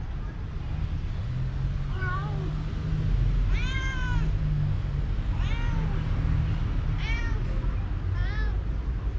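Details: Young male cat, full of energy, suddenly running and playing with a moth; five short meows, some rising then falling, spaced about every one to two seconds over a loud steady low rumble.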